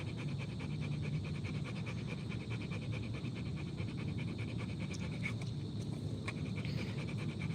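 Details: Rottweiler panting in quick, rhythmic breathy pulses, about five per second, steady through most of the stretch before fading, over a constant low rumble with a few faint clicks.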